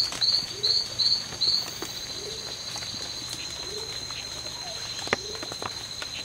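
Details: Strawberry poison-dart frog, one of two males fighting in the C.R.A.R.C. reserve, September 2012; four quick, high, clipped chirps open the recording, followed by several seconds of soft ambient noise and a single click.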